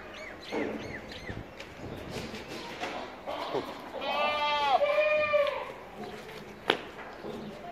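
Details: Purebred Boer goat at a farm letting out one long, strong, wavering bleat that drops at the end, preceded by a few short, higher calls, with background clatter and faint voices.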